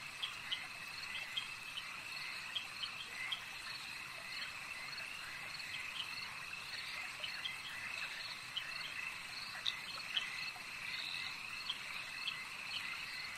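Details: Frogs calling at a lake: a dense, steady high-pitched chorus hums without pause, dotted with short bright clicking chirps that come in quick irregular bursts throughout.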